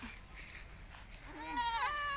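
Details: A goat with diarrhoea lets out a brief, rising then falling quavering bleat near the end, after soft background murmuring.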